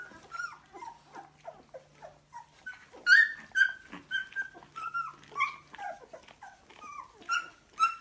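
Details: Labrador Retriever puppies in Delhi, India, giving a busy overlapping chorus of high, wavering whines and short yelps, some sliding up or down, several voices calling at once with a faint steady hum beneath, indoors.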